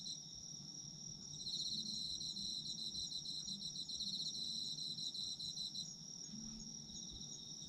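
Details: Chorus of autumn insects: constant shrill ringing with a fast pulsed trill running for about four seconds in the middle, faint low murmur beneath.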